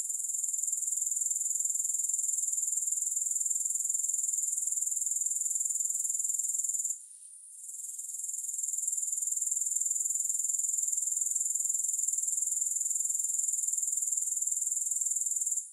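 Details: Grasshoppers, recorded without music: a steady, very high-pitched shrill trill with fast, even pulsing. It runs unbroken except for one brief dip near the middle, then resumes at full strength.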